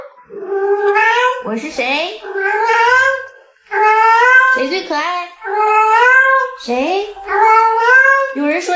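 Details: Pet cat vocalizing at length: a series of drawn-out, wavering meows about a second long, each with rich harmonics and a slight rise and fall, coming roughly every one to two seconds in a steady run.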